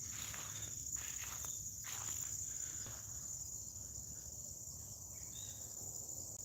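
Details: Morning cricket chorus in rural West Tennessee: an unbroken shrill buzzing drone holds steady, while brief scratchy rustles sound early on and a few faint higher notes come later.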